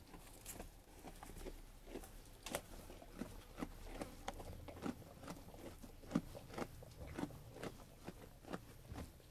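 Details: Sheep eating food, a steady run of crisp crunching bites and chewing clicks, about two per second, with soft low background rumble.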